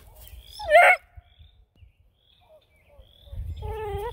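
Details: Young Bluetick Coonhound puppies in Ontario, Canada respond to a silent approach with one loud, brief squealing yelp, then a pause and a wavering, harmonic whine near the end over low rumbling.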